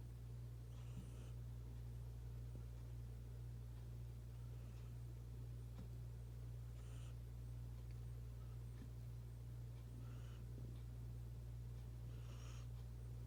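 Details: Luna, a domestic cat, snoring indoors and suddenly breathing very loudly: hoarse, breathy bursts recurring about every two seconds over a steady low electrical hum.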